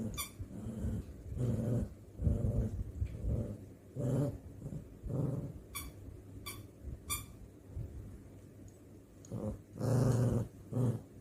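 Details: Playful pet dog grumbling at a companion dog, giving deep growly rumbles in short bursts roughly every second or two, louder toward the end, with occasional sharp clicking taps between them.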